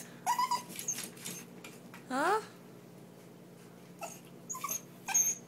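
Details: A Lhasa Apso begging to get out makes a few high whimpers, then a single rising whine with clear overtones. An owner's voice is heard between the sounds indoors.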